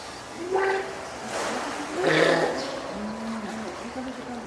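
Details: Hand-reared female spotted seal pup, born 19 April to Komachi and Goku, at Oga Aquarium on 9 May 2017, calling loudly, perhaps hungry, wanting onto land or calling its keeper: two short harsh cries, then lower drawn-out moans, with human voices.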